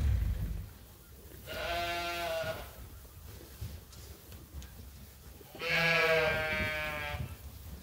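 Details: Sheep at Ewetopia Farms awaiting their feed during daily chores; two drawn-out, harmonic-rich bleats about four seconds apart, each lasting roughly a second, over a quiet background.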